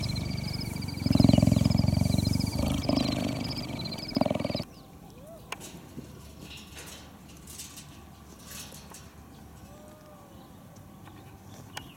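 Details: Captive African wildcat kittens, about 4 months old, purr in a rapid, low, motor-like rumble that fades after a few seconds.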